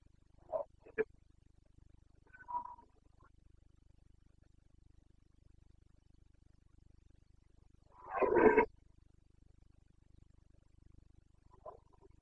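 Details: Carpathian red deer stag in the Bucovina mountains during the breeding season on 29 September 2022. A few short, low grunts come first, then a loud, harsh, broad roar of about half a second, and a faint grunt ends it.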